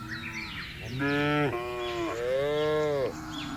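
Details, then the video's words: Cattle calling in a field: one long, wavering moo rises and falls in pitch over about two seconds, with softer lowing before and after. "FUNNY SOUND OF COWS IN THE FIELD..SUARA SAPI LUCU"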